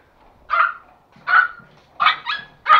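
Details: A male toy Pomeranian, about one year old or older, in Kathmandu, Nepal, lets out five quick, bright, yappy barks with pauses tightening toward the end, a jealous outburst on meeting puppies.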